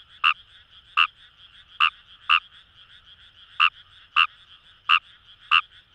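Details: In Itoshima's paddy fields in Fukuoka, Japan, a Fejervarya kawamurai gives short rasping croaks, eight in six seconds at uneven spacing, against a constant high background chorus of more frogs.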